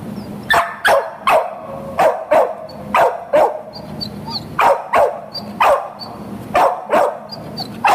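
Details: Peanut, a Boxer available for adoption, barking steadily: sharp, loud barks roughly two or three per second across eight seconds, with faint high chirps in the background between barks.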